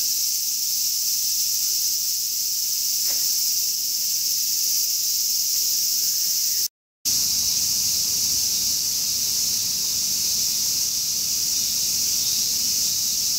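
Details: Summer song of the large brown cicada, a dense, hissing, high-pitched buzz held without pause, briefly cut off near the seven-second mark before resuming just as loud.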